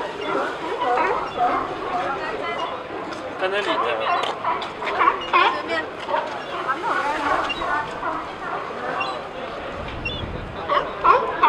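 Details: California sea lions at Pier 39 bark and sneeze in a noisy, overlapping chorus of hoarse, honking calls.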